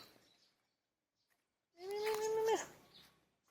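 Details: Hungry cat outdoors, wary of people, gives one steady, level meow of under a second that drops sharply at the end, with faint rustling before it.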